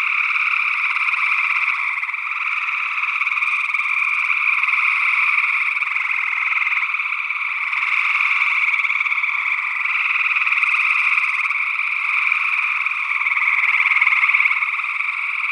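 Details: Night chorus of gray tree frogs, Northwest Wisconsin, early June 2022, captured with a stereo ORTF condenser pair: overlapping vibrating trills merge into a constant buzzing wall, swelling slightly near the end, with a second frog species possibly present.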